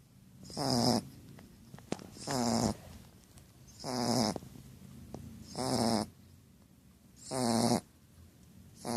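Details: Snoring female Shar Pei, with five harsh, fluttering snore breaths repeated roughly every one and a half to two seconds, steady rhythm and near-silent gaps between.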